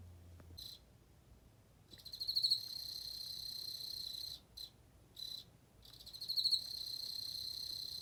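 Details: Emma field cricket calling in long high-pitched trills separated by short pauses; each trill starts with a louder, pulsed swell then settles into a steady ringing tone, with several bursts across the recording.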